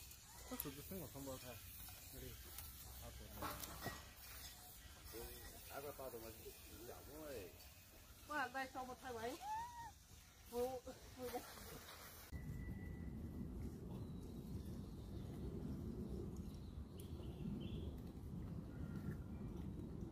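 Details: Baby macaque abandoned by its mother, lying on the ground and crying: a run of wavering, tonal cries rich in harmonics, arching up and down in quick succession for about twelve seconds, then giving way to steady broadband background noise.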